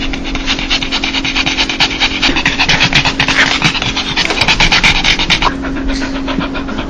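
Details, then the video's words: Dog's 'laugh', a sound made when joyful or happy: rapid breathy huffs in uneven bursts, about two per second, with a steady low electrical hum underneath. "강아지웃음소리 강아지 행복할때나오는소리"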